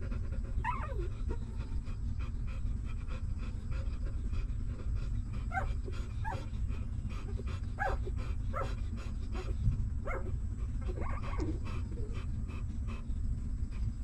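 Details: Newborn puppies of a stray mother dog, hungry and nursing at feeding time: high, thin whimpers that slide downward, sounding in short bursts every second or two over a steady low rumbling, rhythmic suckling noise.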